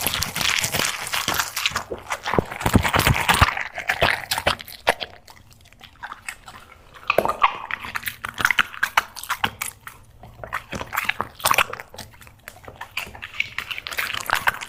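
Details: Dog eating food: bursts of crunching and biting with sharp clicks, alternating with quieter gaps, close-up indoors with some rustling.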